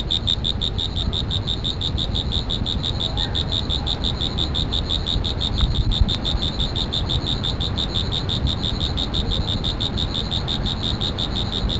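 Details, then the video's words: Insect producing a rapid, even train of sharp high pulses, close to three each second, against a broad low background rumble with a faint click near the middle. "Insect Sound Effects"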